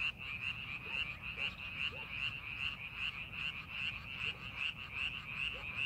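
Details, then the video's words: Frogs in paddy fields during preparation for farming, a steady chorus of quick, pulsing croaks about two or three per second, occasional lower single notes from another caller, faint background rumble. "농사준비하는 논에서 개구리 울음소리"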